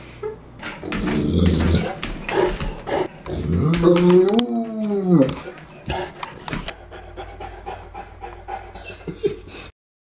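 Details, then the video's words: Pet St. Bernard dog with a lot to say, giving a run of grumbling whimpers and short moans, then a rising-and-falling arched howl-like whine in the middle, amid snuffling and handling noises. "St. Bernard Dog Talking"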